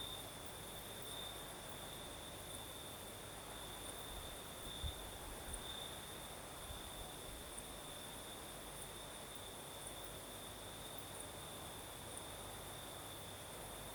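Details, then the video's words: Night chorus of crickets in the south of Crimea: a constant high-pitched trill runs throughout, with a second faint high band, over a wash of breeze noise and a soft low thump near the middle. "Сверчки поют"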